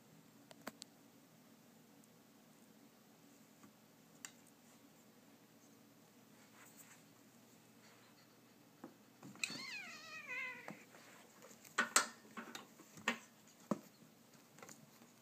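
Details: Siamese cat Latte, indoors with sibling Mocha during play-fighting; after a quiet stretch comes one drawn-out, wavering, descending meow, followed by scattered short bumps and a brief second cry.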